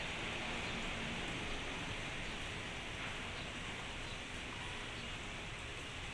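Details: Steady broadband hiss like rain or wind noise fills the recording, with no animal voice audible.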